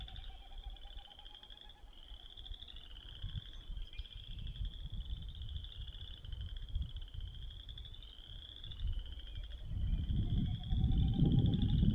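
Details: A chorus of Boreal Chorus Frogs gives rising, comb-like trills about a second long, overlapping steadily, while a Wilson's Snipe's faint hollow winnowing sounds behind them over a low wind rumble.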